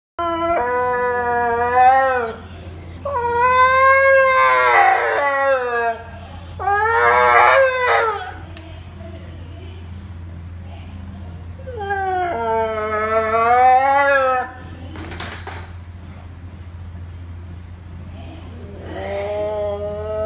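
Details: Pet dog singing in a series of long, wavering, harmonic howls, each rising and then sliding down, with short pauses between them and a steady low electrical hum throughout.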